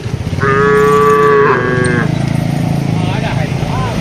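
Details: Cattle herded in a spacious plantation, calling as they forage and interact: one moo about a second long, partly masked by dense low rumbling noise, then fainter mixed sounds.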